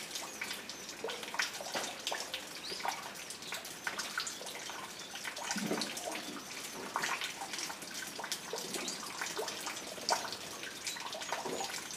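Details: Steady splashing and running water fills the recording, with no clear animal calls.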